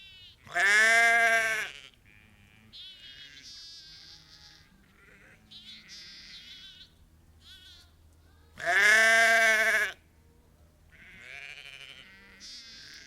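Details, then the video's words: Ewes and lambs calling on a sheep farm, part of a flock of about 30 to 50: two loud, harmonic bleats about seven seconds apart, with fainter higher-pitched lamb bleats between them. "Ewes and Lambs Calling"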